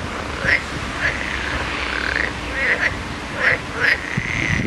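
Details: Many frogs calling together; short chirping croaks rise out of the chorus about every half second to second, over a steady hiss and low rumble.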